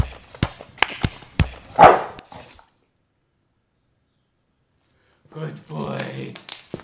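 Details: Bulldog. A bulldog makes a quick string of rough, snorting grunts, then one louder, hoarse bark. After a pause, a person's voice praises the dog.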